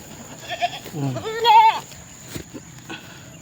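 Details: Young domestic goat whose mother is kept outside, one loud quavering bleat of about half a second, preceded by softer low bleats, then a brief click and quiet rural background with a constant high whine.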